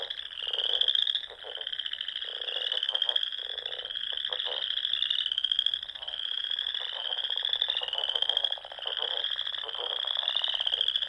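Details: Spring frogs calling at dusk around small ponds in Nebraska's Sandhills dunes: a dense high-pitched trill runs throughout, with low rattling croaks breaking in every second or two.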